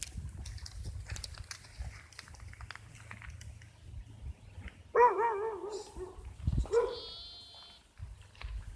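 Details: Sheep bleating: a wavering, quavering bleat lasting under a second, then a shorter bleat, over a low background rumble and scattered clicks.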